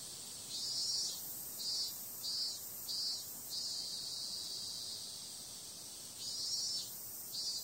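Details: Cicadas calling on a summer night: a steady, high, hissing drone runs throughout, with louder shimmering pulses about half a second long arriving in short bursts, a quiet gap, then two more pulses near the end.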